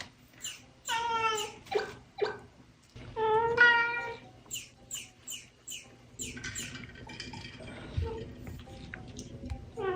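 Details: Pet kitten at home, playing and trying to catch a toy enemy, stretching its paw the wrong way; a series of high harmonic meows and short squeaky cries, some drawn out, with background music.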